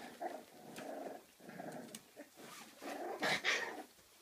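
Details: Play growling from 34-day-old Kooikerhondje puppies in an indoor activity room at a kennel in Sweden; low rumbling growls in short bursts with a sharper yelp near the end.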